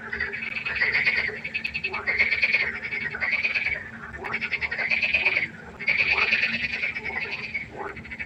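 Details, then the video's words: Nighttime pond frog concert, with loud, buzzy, rattling croaks in long overlapping bursts that swell and stop abruptly, separated by short quieter gaps, over a faint constant hum. "1 Stunde Froschkonzert. Frosch Geräusche quaken. Frösche Geräusche Konzert"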